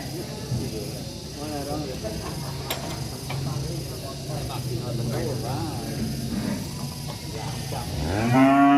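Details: Angry cattle in a village setting: several low, drawn-out moos with rising and falling harmonics across the clip, ending in a loud, rising bellow, over steady rural background noise.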